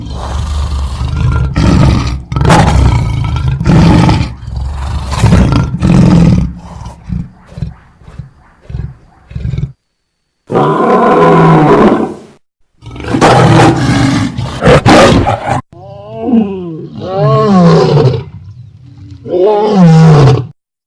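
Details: Lion sounds in edited segments: deep pulsing grunts and roars, then snarling, sliding harmonic roars with abrupt cuts between them.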